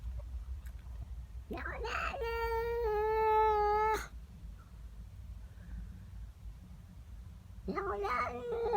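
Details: House cat angry at another cat in the garden: a rising cry leads into a loud, steady, harmonic-rich yowl of about two seconds, then quiet room hum before another harsh cry at the end.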